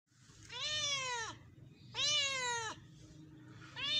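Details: Domestic cat drinking milk and eating bread, giving two drawn-out harmonic meows about a second long each, slightly falling at the end, with a third starting as the clip closes; low indoor hum beneath.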